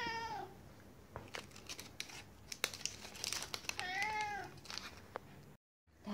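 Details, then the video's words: Siberian cat softly meowing for a 'chocolate' stick treat. A short meow opens, then crinkling and tapping, then a second arched meow that rises and falls. A brief silence comes before another meow begins. "Funny Siberian cat meowing softly to get the 'chocolate' stick"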